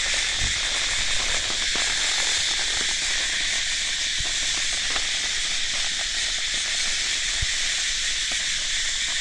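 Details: Cicada calling in a steady, unbroken high buzzing drone that holds even throughout, with a few faint low knocks underneath.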